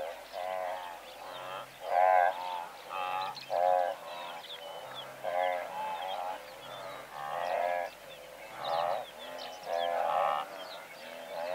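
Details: Blue wildebeest in a herd of several hundred, calling from medium-close range: nasal, harmonic grunting bursts repeated irregularly, about one every second or two, with overlapping voices and louder peaks near two, four and ten seconds; faint lark song above.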